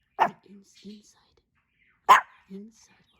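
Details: Hendo, a Pomeranian turning two on his birthday: two abrupt, bright single barks about two seconds apart, each followed by soft, low murmuring tones.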